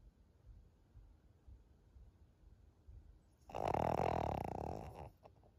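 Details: Maria, a thirteen-year-old senior fawn female pug in Japan, recorded on 25 June 2023: after three seconds of quiet room tone, a single loud, rasping, buzzy snore swells and fades over about a second and a half.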